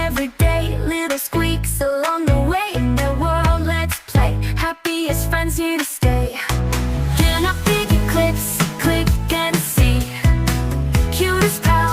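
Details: Upbeat pop music with a heavy bass line and sung vocals plays throughout, covering any other sound.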